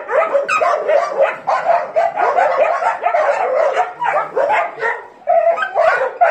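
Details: Dogs bark and yelp excitedly in quick bursts, several voices overlapping, with short gaps between flurries and a brief pause before the final barks.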